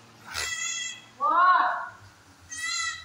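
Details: Farm Kodi goat doe near Kadayanallur, Tenkasi District, mother of four newborn kids: three short, harmonic, nasal calls, the middle one louder and lower, with a low hum behind.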